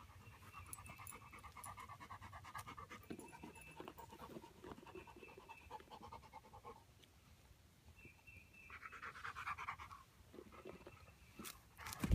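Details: Four-month-old female Great Pyrenees puppy, happy spending time with her owner and another dog, panting softly and steadily throughout, with a low background rumble and a brief tonal hum partway through.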